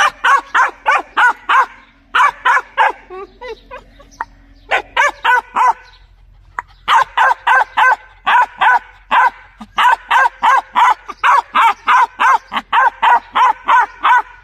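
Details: Dog barking loudly in rapid bursts, sharp harmonic barks repeated about three times a second in runs, with brief pauses and a short gap near the middle.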